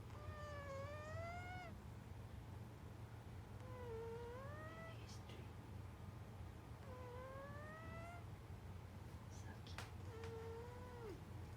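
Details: Snoring while asleep, a cat makes quiet nasal whistles that rise or dip and recur every three seconds or so, against a constant low background rumble.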